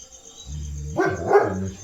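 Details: Leo, a German Shepherd who stands guard at the house gate day and night, gives two short, harsh barks in quick succession, with a steady high insect-like hum and low rumble in the background.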